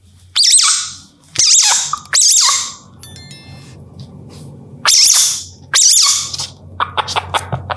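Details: An Indian palm civet in India, calling at night, gives loud, harsh, hissing screeches in short bursts, with pauses between them.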